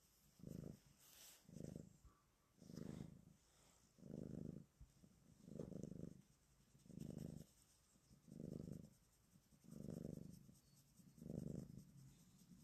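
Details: Black cat purring softly on its owner's lap, its first time ever climbing up there; a low, rumbling purr swelling and fading in steady pulses about every one and a half seconds, with faint background hiss.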